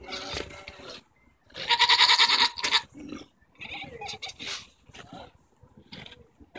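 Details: Arguing goats on June 24, 2014, with tongue flapping noted: a short cry, then a strong vibrating bleat of about a second, followed by several quieter broken bleats and shuffling.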